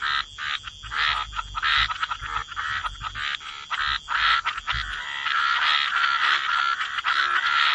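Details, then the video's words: Wetland frog chorus by the water, dense overlapping raspy croaks that blur into a near-continuous grating din during the second half, with faint low rumbles early on. "Relax to the Sound of Croaking Frogs"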